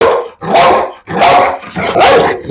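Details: Heavy-built pit bull in Kollam, Kerala, filmed during a dog challenge, giving three loud, harsh barks spaced roughly half a second apart, each a short broad burst with strong low-mid tone.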